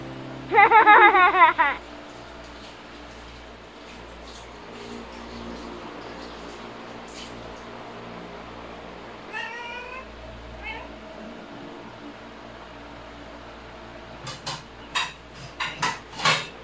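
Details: Siamese cat; mating call; female in heat calling for a mate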